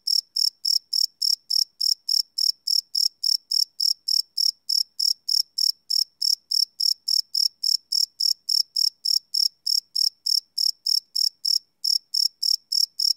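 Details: Crickets chirping at night, recorded live without loops on a Sony PCM D100 field recorder: steady high-pitched pulses repeating about three and a half times a second, evenly spaced, with no other sounds.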